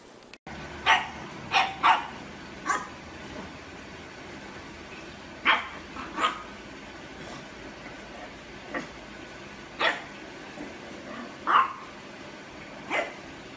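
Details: Pug indoors giving single barks spaced a second or more apart, fairly steady, over a low background hum.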